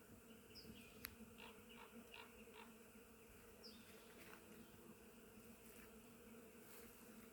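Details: In spring, a dense, steady drone of many bees visiting a flowering willow in the Žuvintas reserve, with a few faint bird chirps above.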